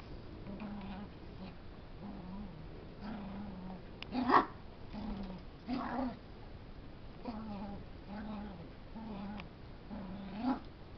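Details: Wrestling puppy pinning a big dog: a run of brief, low moaning growls, some bending upward at the end, repeated every second or so, with a few louder, harsher yelps around the middle of the play bout.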